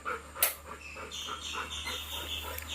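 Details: Pet Labrador Retriever named Golden panting in rapid, regular breathy bursts, with one sharp click near the start and a faint steady high tone and hum in the background.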